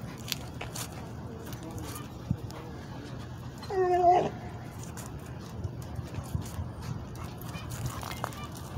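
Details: American Bulldog/Pit Bull mix named Legend, straining to reach a cat on an urban street, lets out one loud, harmonic whining yelp midway through, surrounded by steady low background rumble and faint distant sounds.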